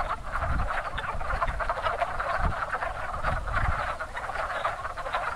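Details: Many wood frogs at a lively pond in spring, breeding season, produce a thick mass of gravelly clucking croaks, while soft low thumps and rumbles sound occasionally underneath.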